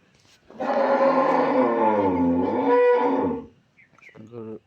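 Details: A 14-day-old calf bred by artificial insemination bellows one long, loud, steady moo lasting nearly three seconds, dipping slightly in pitch midway, then a short softer call as the recording ends.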